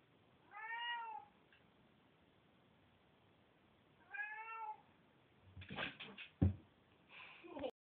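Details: A Bengal cat gives two drawn-out, arching meows, followed by knocks and thumps.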